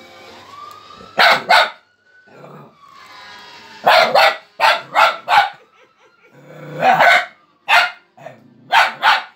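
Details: Boomer, a young male Fox Terrier aged four months, barks in clustered pairs and triples; a faint, steady wavering tone, like a distant siren, runs underneath the barking throughout.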